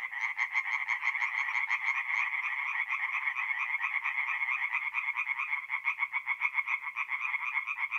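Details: Night chorus of tree frogs at a forest pond in north-eastern Italy, mid-April; several callers overlap in dense, harsh croaking pulses that blur into a continuous rattling din with no other sounds.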